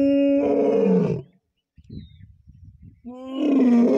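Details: A big cat, labelled a lion roaring (also tagged tiger roar) at Deulghat, Buldhana, gives two long, deep, moaning roars separated by a run of low grunts.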